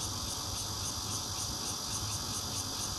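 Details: Bear cicada singing at a home on a fourth floor in Zhongli, Taiwan, recorded on 16 June on a Nokia Lumia 820 phone; a dense, continuous buzzing drone with high shimmering pulses repeating about every quarter second, steady throughout.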